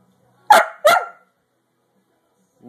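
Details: Zash, a pet dog asking for food, gives two short sharp barks in quick succession, followed by silence before a person's voice begins.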